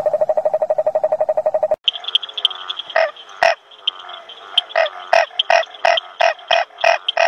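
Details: A male toad croaking at night in the breeding season gives a fast, even trill of low pulses, then sharper croaks repeating about three times a second.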